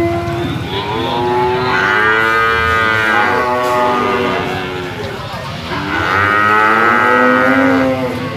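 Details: Sacrificial cattle penned for weighing: two long, rich moos, each swelling and then sagging in pitch, separated by a brief dip in loudness.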